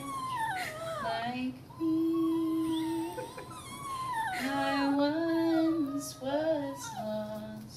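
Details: Small Chihuahua howling in reaction to instruments being played indoors; long wavering, sliding tonal wails that rise and fall, mixed with a held musical tone and a person's voice in a small room.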